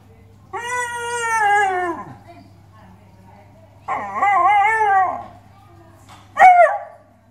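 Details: Alaskan Malamute giving three drawn-out, talking-style vocalisations: a long falling woo, then a wavering warbled howl, then a short sharp rising yelp, separated by brief quiet pauses.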